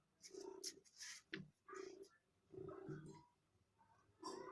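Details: Rottweiler dog during play time with its owner; four short, rough, moaning vocal bursts at a mid pitch in under five seconds, separated by brief sharp knocks and rustles.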